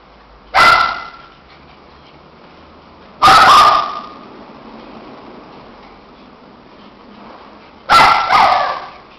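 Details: Two shih tzus playing together; three sharp, loud barks at roughly two-to-four-second gaps, each with a brief echoing tail, the last one doubled, over quiet indoor background.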